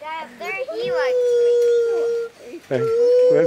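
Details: A captive female white-handed gibbon, rescued from a breeding operation and living at a Florida sanctuary, calls back at a young boy. She gives long, steady, pure hoots held about a second each, while people talk excitedly around her.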